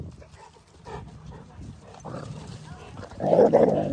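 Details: Several Mastiffs, from five-month-old puppies to three-year-olds, playing in the snow alongside a Rottweiler. Low rumbling growls build up and end in a loud, short burst of barking, with faint human voices in the background.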